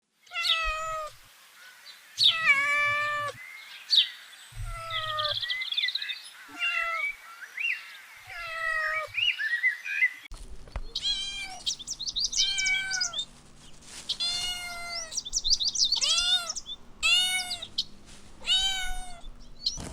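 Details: Several kittens playing with pine cones on grass outdoors give high, harmonic meows, some short and falling, others drawn-out and wavering, in frequent overlapping bursts; a low background hum runs through the second half.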